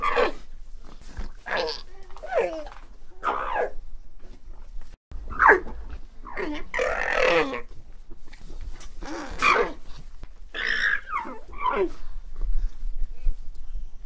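An alpaca gives a series of wavering, nasal calls, each about a second long, with short pauses between.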